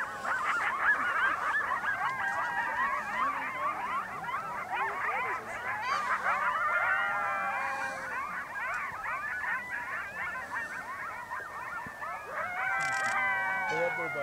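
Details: A group chorus of coyotes in Yellowstone National Park, with a dense tangle of quavering howls and rapid yipping barks throughout, and long falling wails near the middle and again at the close.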